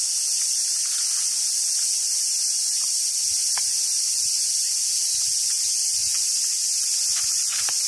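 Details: Cicadas singing in summer at Awajishima Monkey Center in Hyogo, Japan, home to wild Japanese macaques; a steady, shrill, continuous buzz fills the air, with occasional faint short squeaks and a low hum.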